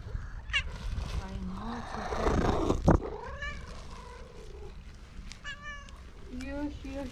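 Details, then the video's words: Fluffy orange female cat, seeing a familiar person from far away and coming quickly over, meowing, trilling and purring to show happiness; several short, bending meows spaced through the recording, with a person speaking and exclaiming softly nearby. "Orange cat who saw me from far away came quickly to me by meowing"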